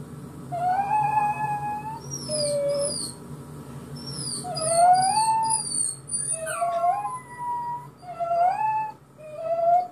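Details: Small domestic dog howling in response to hearing his own recorded crying: repeated long, wavering howls that bend upward and down, overlapping with high thin whining notes from the recording.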